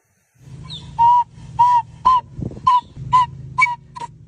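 A monkey gives a rapid series of short, tonal, slightly wavering calls over a low steady hum.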